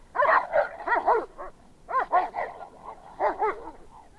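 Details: Fight between an American Staffordshire Terrier and an off-leash shepherd that ran up during a walk: three clusters of rapid, strained, snarling barks and yelps, each lasting about a second.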